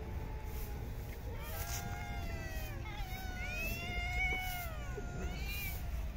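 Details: Feeding time for park street cats: a chorus of overlapping meows, some long and gently falling, others brief and arched, above low traffic-like rumble.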